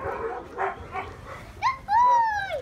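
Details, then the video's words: German Shepherd with babies and kids, acting protectively: after soft muffled sounds, a high whine with clear overtones rises briefly, then a longer tonal whine holds steady and slides downward at the end. "German Shepherd Protects Babies and Kids"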